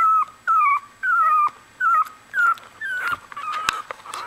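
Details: One-week-old Australian Bulldog puppies crying in five clear, evenly spaced whines, each starting high and sliding slightly downward, followed by softer overlapping whimpers and faint rustling.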